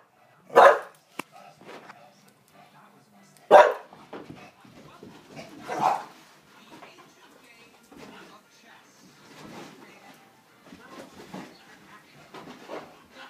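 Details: A bulldog during laser pointer play giving loud single barks spaced a few seconds apart, followed by softer grumbles and huffs, with quiet human talk in the background.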